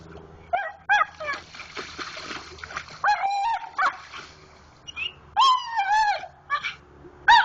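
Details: Pit Bull dog digging in a creek for a rock gives high, wavering whimpers and squeaky whines in bursts of about half a second, some rising and falling, with quiet gaps and soft rustling between.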